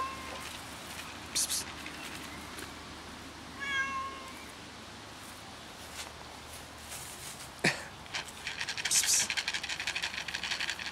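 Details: Hungry cat waiting for its owner gives one short tonal meow amid constant outdoor hiss, with scattered clatter and rustling noises nearby.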